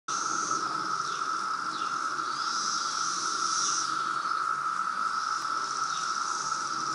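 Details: Periodical cicadas of a loud 2017 brood emergence in Reston, Virginia: a dense, steady droning chorus with a constant buzzy whine and higher rasping swells rising and fading every few seconds, unbroken throughout.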